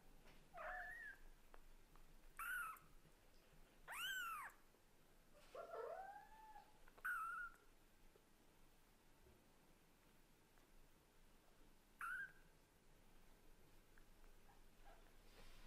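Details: Indoor kitten, offspring of a Scottish Fold mother and British Shorthair father, calling insistently to its mother: a run of high, arched mews with a few lower, rising ones mixed in, then a long pause before a last short cry.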